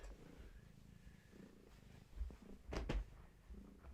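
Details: Gaia, a long-haired tabby pregnant with many kittens, held indoors while her kittens are active; low rumbling purr throughout, with a few louder handling bumps and rustles near the end.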